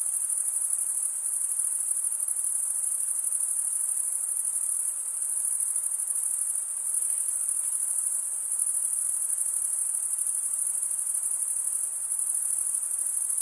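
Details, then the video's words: Male crickets chirp by drawing one wing across the serrated vein of the other, giving a dense, high, unbroken trill with small swells and brief dips in volume. "cricket sound"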